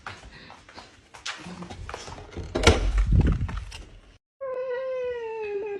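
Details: Husky named Mati, indoors at home: rustling and handling noises give way to a short gap, then a sustained, harmonic, howl-like cry that holds steady and gently falls over about a second and a half.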